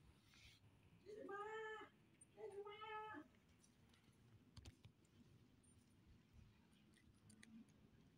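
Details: Hungry pregnant stray cat living around an office, being fed in the morning: two drawn-out nasal meows about a second apart, each roughly 0.8 seconds long, then quiet background with faint clicks and a soft voice.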